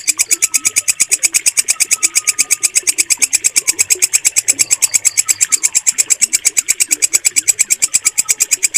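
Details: Walang kecek katydid, kept as a clear training sound for cage birds, delivers a steady train of sharp, metallic rasps at roughly three per second, very regular, over soft background twitters.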